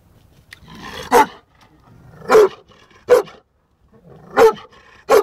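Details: A deep, rough bark comes from Sheeru, a young male Bully Kutta just under a year old. Low growling rumbles swell into heavy barks, five in about five seconds, with short quiet gaps between them.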